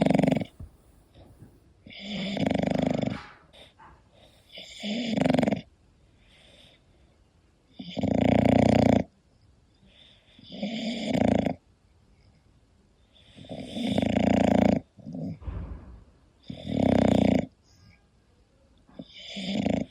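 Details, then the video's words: English Bulldog Koda asleep at home, snoring steadily. Heavy, gravelly snores come about every three seconds, each roughly a second long, with faint breathing in the gaps. "My english Bulldog snoring"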